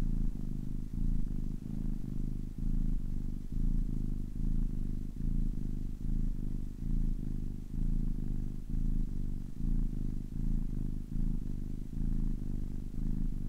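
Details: Ten-week-old kitten giving an even, throaty purr, low vibrating drone beating in regular in-and-out cycles a little faster than once per second.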